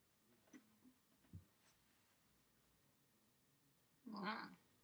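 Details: Shih Tzu puppy indoors making one short, rough, breathy grunt near the end. Before it come a few faint soft clicks and snuffles in a quiet room.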